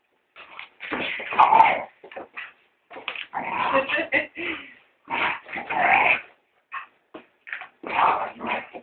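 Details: Pet Staffordshire terrier, female, going after a household brush during housework, producing irregular rough growls and snarling grunts in quick bursts, a few whiny, higher-edged notes mixed in.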